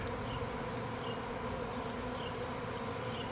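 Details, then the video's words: Honey bee swarm in Nashville, Tennessee, on April 8, 2020, clustering on a branch after leaving the hive: a steady, dense low hum with no breaks, with faint high chirps from birds above it. "Bee Swarm"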